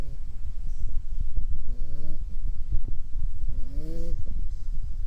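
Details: Puppy asleep and snoring, two drawn-out nasal snores with a slightly rising, whistly tone about two seconds apart, between low, rough breathing rumbles.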